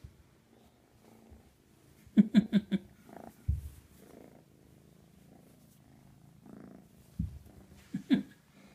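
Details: Kitten Mashu begging to be let out of its cage. A quick burst of short, sharp meows comes around the second second, then quieter rustling and soft sounds, and a final sharp meow near the end.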